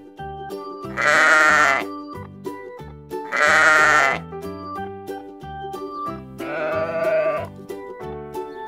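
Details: Farm sheep bleating: two loud, wavering bleats about two seconds apart, then a third, shakier bleat, all over steady background music with a plucked, repeating rhythm.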